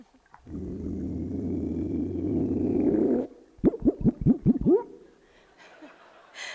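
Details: Underwater, a captive adult male Hawaiian monk seal at UC Santa Cruz gives a deep rumbling growl of about three seconds, then a fast run of short, bouncing whoop-like pulses, a vocalization that is part of his breeding behaviour.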